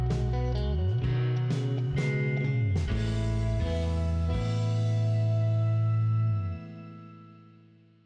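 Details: Loud plucked guitar music with sustained low notes plays and then fades out; no animal sound is heard.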